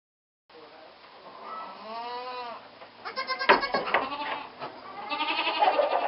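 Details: Goat kids bleating on their first time in the barn while being moved to their stall: wavering, harmonic bleats rising and falling, followed by a burst of several overlapping shorter bleats and rustling.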